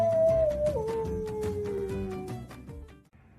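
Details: Flute-like melody sliding downward over thumping rhythmic backing music, fading out near the end without any animal sound.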